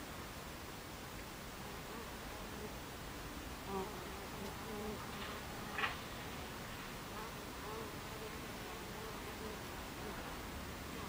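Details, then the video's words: Buckfast bees buzzing at the hive entrance, 26 July 2013 at 14:30. A steady whirring drone, broken by two short, sharper bursts near four and six seconds as bees pass close. "Beehive Entrance Buckfast Bees"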